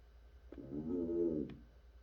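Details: African bullfrog, or pixie frog, calling: a single low, moaning, harmonic croak about one second long that swells and fades, over a faint steady background hum and a few soft clicks.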